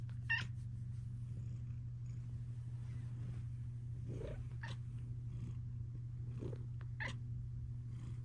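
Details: Luxe, a female pet cat snuggling indoors, holds a deep, unbroken purr. Several short, high chirps are scattered over it and a few soft, lower mews come near the middle.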